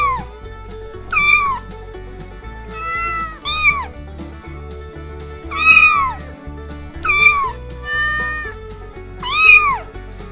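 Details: Five short, bright meows from a cat, each rising then dropping in pitch, spaced about two seconds apart above continuous background music with a thumping low beat.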